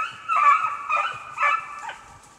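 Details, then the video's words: Beagles tracking snowshoe hare during a hunt in Pennsylvania's Allegheny National Forest; three or four loud, ringing bays, each about half a second, with a tonal upper harmonic, fading out at the end. "BeaglesTracking Snowshoe Hare"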